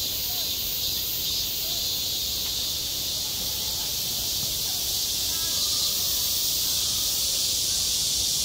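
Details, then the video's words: Cicadas calling in midsummer on a school playground, a dense, steady, hissing drone of high buzzing that holds unbroken and even in loudness throughout, with faint low murmuring beneath. "한 여름 운동장에서 매미가 울고 있다 - 여름의 소리, 학교 종소리, 매미 울음소리"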